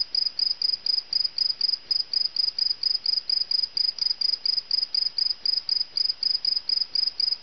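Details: Cricket caught indoors in a house, chirping loudly and steadily: short high pulsed chirps repeated about twice a second in an even, unbroken series, with little else heard.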